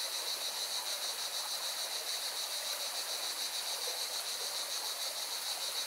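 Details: Cicadas buzz in a steady, high, shimmering chorus above the rushing roar of a mountain river in Valencia, Spain.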